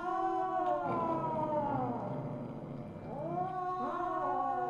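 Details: Misu, the Siamese (Wichienmaat) mother cat, at 8:18 PM on 2/1/2015: two long, arching, nasal meows, the first falling slowly away and the second swelling upward after a brief pause, against a quiet indoor background.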